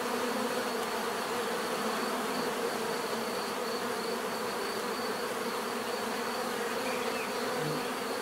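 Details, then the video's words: Bees buzzing in nature, a loud, dense and steady drone of many wings, unchanging in level, with an occasional closer bee briefly standing out near the end. "bees therapy relaxing natural buzzing sound"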